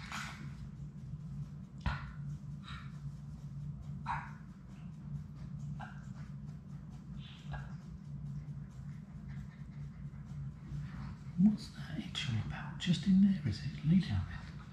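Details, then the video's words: Six Labrador Retriever puppies playing together indoors in a puppy play room, on a live puppy cam; scattered short yips and scuffling taps, with a cluster of brief whimpers near the end over a steady low hum. "Labrador puppies at play!"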